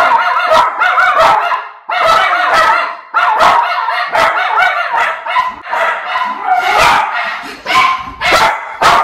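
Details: Pair of Miniature Schnauzer brothers, in Maine in August 2021, losing control at an unfamiliar package delivery driver: loud, harsh barks in rapid overlapping bursts with brief gaps, some sharper yips near the end.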